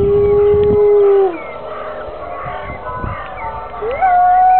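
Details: Grey wolves at the UK Wolf Conservation Trust howl as church bells ring on a Sunday morning: long, smooth howls, one held low and steady, another sliding up to a higher sustained note.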